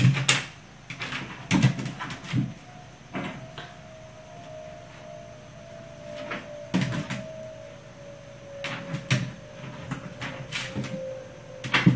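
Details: Indoor clattering knocks and taps come in scattered bursts over a quiet steady tone, with no animal voice.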